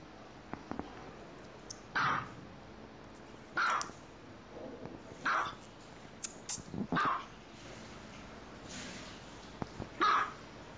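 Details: Pet dogs at play indoors, giving single loud barks roughly every one and a half to two seconds, with light thumps and handling noise in between.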